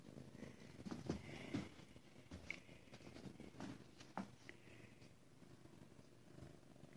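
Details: Ragdoll kittens raised in a home cattery in central Kansas; soft, steady low purring that rumbles continuously throughout, with a person talking quietly and light handling noises.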